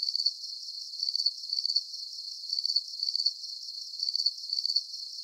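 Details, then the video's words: Soothing night crickets: sharp, very high chirps of rapid pulses arriving in irregular groups, separated by quiet moments, with no other animals or noises. "Calming Cricket Sounds"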